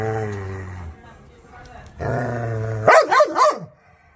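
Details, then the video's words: Angry, aggressive dog: a low rumbling growl, a pause, a second sustained growl, then three harsh barks in quick succession that end the sequence. "Angry Dog Barkings Sound || Aggressive Barking Dog"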